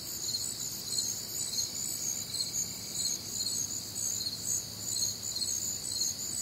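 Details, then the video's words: Crickets calling through a warm, humid summer night in the Midwest, a bright chirping chorus of rapid high pulses in several layers, briefly joined by a faint thin steady tone early on, over a soft background hum. "Night Time Cricket Sounds"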